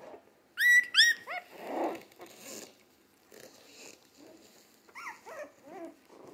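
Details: Three-week-old Jack Russell Terrier mix puppies, born 12/17/2020, already active and eating like older puppies, give two loud high yelping whines early on, a dull thump, then softer falling squeaks near the end.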